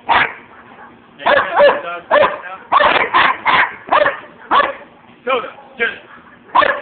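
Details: German Shepherd and Siberian Husky during a vicious attack, phone recording: sharp separate barks roughly every half second, harsh and loud, over a low steady hum, with speech heard alongside.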